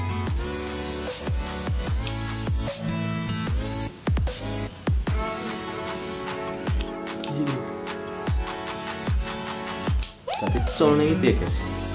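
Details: Loud electronic dance music with heavy bass and synth lines throughout; no animal voice is heard.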